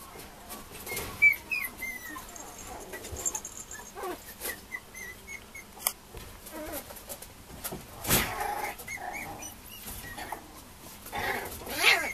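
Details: Two female Mame Shiba puppies at a breeder: thin, high squeaky whimpers and short chirping cries come in scattered bursts, mixed with rustling and handling noises.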